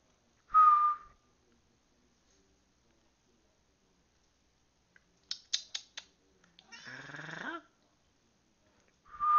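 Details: Pet cat Turtle meowing indoors in reply to a person's whistling: a steady tonal whistle, a few sharp clicks, then one drawn-out harmonic meow that rises and falls, with another whistle starting at the end.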